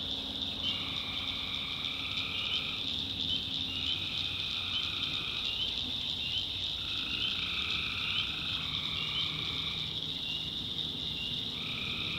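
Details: Tree frogs at night in a North Carolina backwoods swamp: overlapping trilled calls, each lasting roughly a second or two, keep coming over a dense, unbroken high-pitched chorus.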